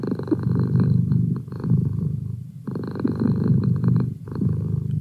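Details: House cat kept as a feline study buddy, purring at close range; a continuous low vibrating rumble in two long breath cycles, with a short dip between inhale and exhale.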